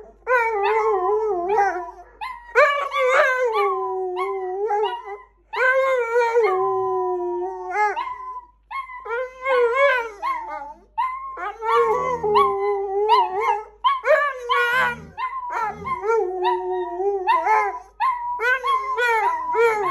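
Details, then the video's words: Pet dogs howling as a group, bursts of rising and falling tonal howls separated by brief pauses, several voices layered, with occasional yips and whimpering notes between phrases. "Our dogs howling"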